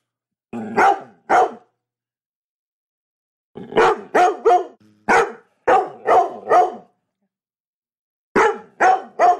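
A Labrador Retriever barks in short, deep bursts, several in quick succession with pauses between.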